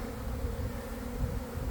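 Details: A honey bee swarm forming a cluster near the hives in early afternoon, recorded from within the swarm; a deep, unbroken buzzing drone, heavy in low tones and steady in loudness.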